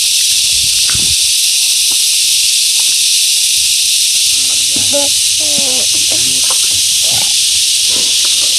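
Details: Many cicadas, locally called yayay or kuliglig, around a countryside house in the Philippines, noisy for a while: an intense, unbroken high hissing buzz fills the air, with people talking and a clatter of sounds beneath.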